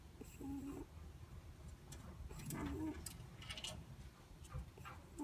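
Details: Netherland Dwarf rabbit asleep, giving faint, short whistling snores, two soft level tones about two seconds apart, with light rustling and scattered soft clicks in a quiet room.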